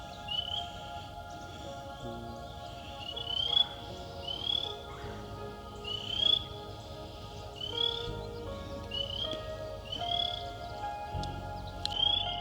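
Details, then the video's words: Frogs call in early spring at Stroud Preserve, West Chester, Pennsylvania, near pooling water with skunk cabbage on a humid day, giving high, short, upslurred peeps about once a second. "You can hear the frogs."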